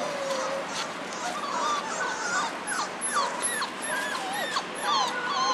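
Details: A litter of four-week-old German Shorthaired Pointer puppies. Several pups whine together in overlapping, quick, bending squeaks, some rising and some falling, repeated more than twice a second over steady room noise.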